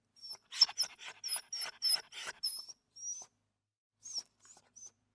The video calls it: Sound Small Dog Wimper Series Free Sound Effect